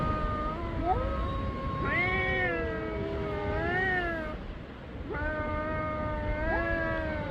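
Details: Black cat calling on meeting: drawn-out, richly harmonic meows that slide and waver in pitch, some long and caterwaul-like, over a steady low rumble.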